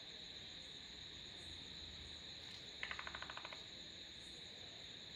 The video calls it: Sounds of Frogs / தவளைகளின் இசைமழை